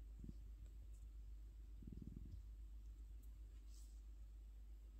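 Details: Orange cat asleep, giving a faint low purr. A brief pulsed swell comes early, then a stronger throbbing stretch near the two-second mark before it fades back to a soft rumble in a quiet room.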